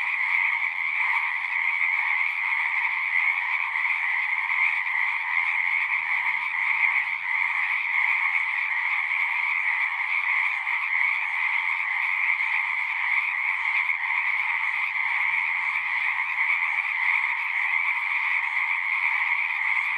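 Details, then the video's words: Pond frogs in a horse pasture sing nonstop, recorded on a Zoom recorder. Countless overlapping trilled calls form a thick, constant buzz in two stacked pitches, with slight pulsing texture but no pause across twenty seconds. "Frogs singing"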